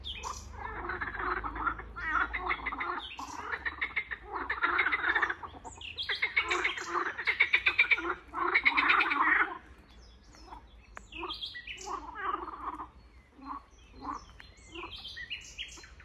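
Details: In a swamp, several frogs croak together in dense, raspy, pulsing bursts, their rattling calls overlapping into a rough chorus; after about ten seconds the chorus thins to sparse, separate croaks with short pauses between them.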